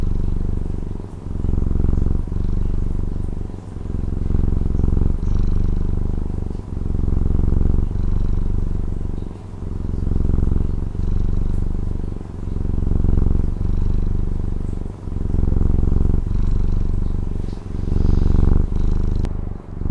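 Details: Domestic cat from Taiwan purring steadily: a deep, low rumbling drone that swells and dips with each breath, about fourteen in-and-out cycles, with no other clear sounds.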